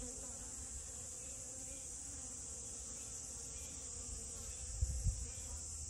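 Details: Honey bee on rose moss flowers, giving a faint, even low hum over a constant high hiss, with two brief soft bumps near the end.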